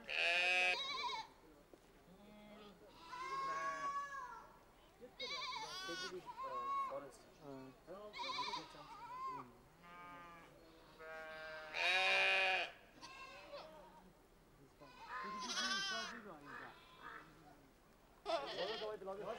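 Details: Changthangi or Pashmina goats herded together with sheep in the Himalaya: a dense chorus of wavering, nasal bleats from several animals, loud bursts every one to three seconds separated by quieter stretches.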